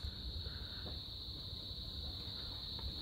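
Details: Cicadas in Tonga just after sunset, as evening turns cool and breezy: a steady high-pitched drone with a low rumble of wind beneath.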